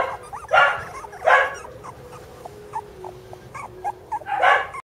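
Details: Border Collie puppy sisters letting out three loud rough yaps spaced over five seconds, with faint short squeaks in between.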